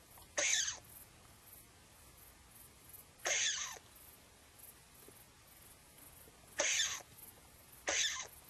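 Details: Frightened after looking out from a hole, an edible dormouse gives four loud, breathy, hiss-like rasps separated by pauses of one to three seconds. No other sounds stand out.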